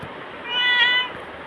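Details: Bagira, a black pet cat, answers its owner with a single clear meow lasting about half a second, steady then fading, with Tamil speech about eating food just before and after.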